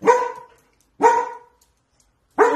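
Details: Scared female house dog in a kitchen, in protective mode, barking at an empty corner the day after the other household dog died: sharp single barks spaced about a second apart, each loud and bright, with quiet between.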